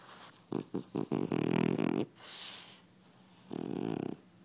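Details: French Bulldog snoring indoors: a few short rattling snorts, then a long buzzy inhaled snore, a soft hissing exhale, and another rattling snore near the end.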